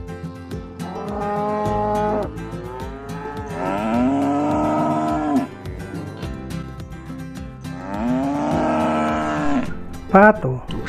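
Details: Farm cattle, described as docile and kept for milk and meat, utter three long moos spaced a few seconds apart, each rising then levelling off, with a short sharper call at the end and music underneath.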